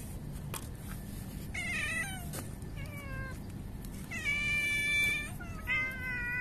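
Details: Angry, seemingly pregnant female street cat attacking other cats: drawn-out harmonic yowls and caterwauls, some wavering, one long rising-falling wail near the middle, over steady low background rumble.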